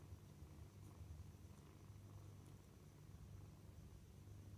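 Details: A low continuous purr from kittens at dinner time, a dense rumbling drone with a few soft ticks over a faint steady high tone.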